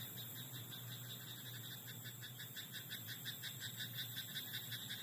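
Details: Night-time rice paddy frog giving continuous rattling croaks, quick pulses strung together without pause across the whole stretch, with a constant thin high tone and a low hum underneath.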